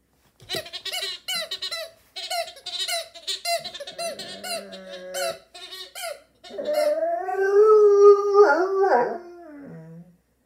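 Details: A 7-month-old female Great Dane puppy yips in short squeaky bursts, then lets out a long, wavering howl.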